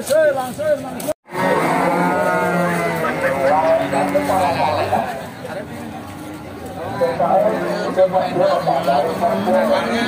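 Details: Simmental cattle at Bekonang livestock market, Sukoharjo, Central Java, Indonesia; a low, wavering moo rising and falling over several seconds, broken by a short gap, mixed with a man talking and market chatter.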